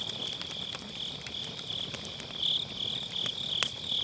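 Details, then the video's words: Autumn-night grass insects near a crackling campfire in a round fire pit, MKE600 microphone with low cut; continuous high trilling chorus swelling and fading in short pulses, with frequent snapping firewood pops and one loud crack. "가을밤 풀벌레 소리"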